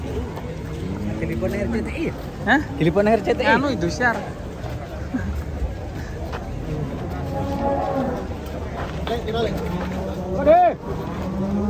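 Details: Cow with bent legs being unloaded from a truck: several low, drawn-out moos with stacked harmonics, one sharper rising-falling bellow near the end, over people talking and background music.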